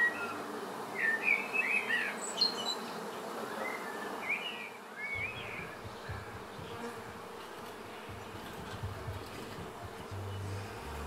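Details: Swarm of honey bees being settled into a new home hive. A continuous diffuse humming buzz runs throughout, with a few bird chirps early on and low rumbling handling noise.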